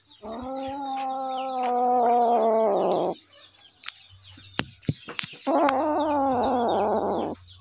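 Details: Hungry little kitten giving two long, steady, harmonic meows, each about three seconds, with a pause of clicks and clatter between them and a low hum underneath.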